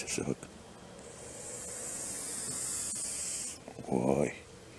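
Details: Grass snake (Natrix natrix), a semi-aquatic snake, angered after being caught and examined for the first time, gives one steady, breathy hiss about two and a half seconds long. A man's voice is heard just before and after.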